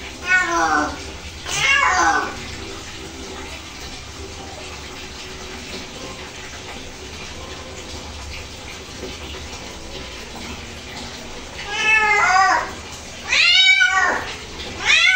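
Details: Cat being bathed: a pair of wailing meows at the start, then a long stretch of running water from a tap, and three more sharp descending cries near the end.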